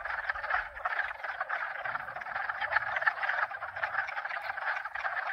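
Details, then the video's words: Several frog species croaking at once in a thick, unbroken chorus of rapid overlapping calls, joined by faint low wind noise and pump hum. "Croakers 2022"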